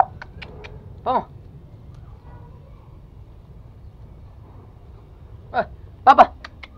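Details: Two toy Pomeranian puppies, Pomo (male) and Pomy (female), born spring 2017, playing at home in Kathmandu, Nepal, August 2017; a sharp high yelp near one second, then two more in quick succession after five seconds, while a person calls the puppies.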